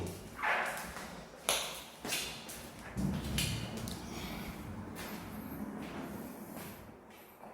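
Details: Indoor thumps and knocks with a few sharp pings and faint background music, no animal voice.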